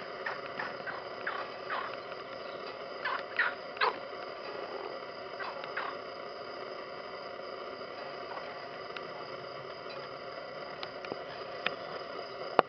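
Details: A frog in a pond gives short, rattling croaks in quick bursts, then falls mostly quiet over a steady hiss.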